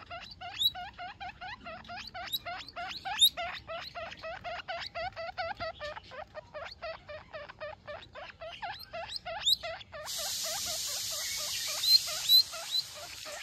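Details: A baby guinea pig (Cavia porcellus) gives a contact call to its mother: rapid, repeated high squeaks that rise sharply at the start.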